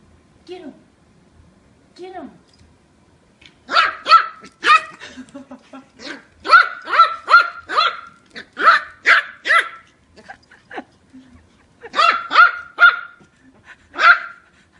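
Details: Kiwi, an eight-week-old female Yorkshire Terrier puppy, playing with her new siblings; a rapid run of shrill, high-pitched yapping barks in bursts of three to six, separated by short pauses, with a person's voice nearby.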